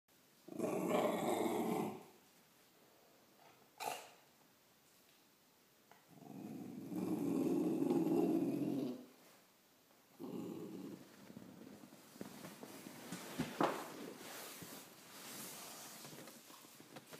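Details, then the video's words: A Cocker Spaniel growls at a spider, giving low, rumbling growls in long drawn-out bouts with pauses between. "Roxie the cocker spaniel growls at a spider."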